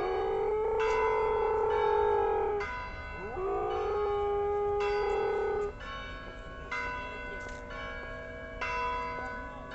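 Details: A Siberian husky in Odessa, Ukraine howls in long, steady, wavering notes, a "wolf song", with ringing bells behind.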